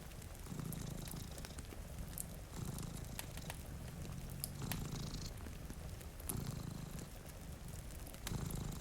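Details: Domestic cat purring while sleeping beside a rainy window, one of two cats, near a cozy fire: a low, rumbling purr swelling in pulses roughly every two seconds, with sharp fireplace crackles and soft rain hiss throughout.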